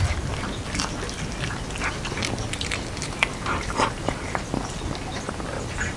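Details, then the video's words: Indoor close-up of Jeongsaek, a hanbok-wearing house cat, feeding on a festive New Year dumpling soup. Irregular crisp chewing clicks and slurps come in quick clusters, denser toward the middle. "정색이 한복입고 캣만둣국 먹방 [고양이 ASMR/ 이팅사운드]"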